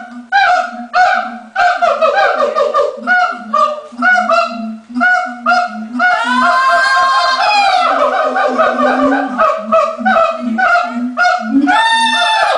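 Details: ['Captive siamangs at the LA Zoo before lunch time, the male leading the calling: fast strings of barks over steady booming build into a long, rising, shrieking scream, then the steady barking resumes.']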